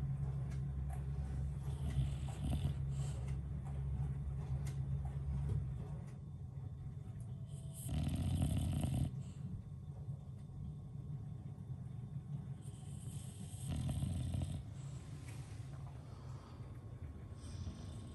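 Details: English Bulldog Lincoln asleep at bedtime, snoring in a steady low rumble, with louder breathy, hissing snores swelling around eight and fourteen seconds; a quiet indoor room otherwise.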